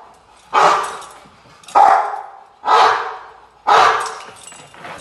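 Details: Rottweiler Gypsy v LordsNLadies during protection training, post work, recorded July 8, 2021: four loud, broad barks about a second apart, each bursting sharply then fading, with a strong midrange core.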